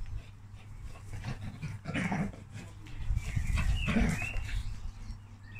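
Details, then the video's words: A Basset Hound and a Beagle, two hound dogs bonded since meeting at eight weeks old, playfighting indoors: low rough growls and grunts in irregular bursts with a few sharper yelps, over a steady low hum. "Basset Hound and Beagle | Dogs Playfighting"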